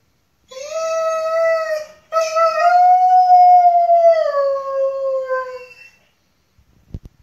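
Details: Gordon Setter indoors crying as its owner leaves for the store; two long, steady, mournful tonal howls rich in harmonics, the second slowly falling, then a few faint knocks at the end.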